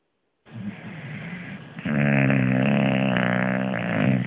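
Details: Fat Louis, an English Bulldog, snoring on the sofa: after a brief silence a rasping snore begins, then a deeper, buzzy, steady snore holds for over two seconds.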